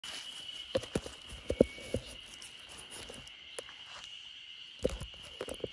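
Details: Spring cicadas in chorus in a backyard, lulling a sleeping Great Pyrenees dog named RunRun: a steady, high, unbroken droning hum runs throughout, broken by scattered dull knocks and thumps nearby.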